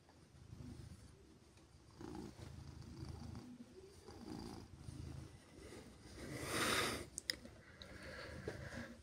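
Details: Female silver tabby cat slowly revving up her purr on a chilly morning while being gently petted; soft, low rumbling purring that swells and fades in breath-length cycles, with a brief rustling burst near the end.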